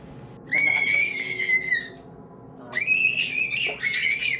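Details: During fur removal, a restrained Angora rabbit screams twice: two long, piercing, steady-pitched wails, each about one to one and a half seconds long, separated by a short silence. A faint knock sounds between them in a small room.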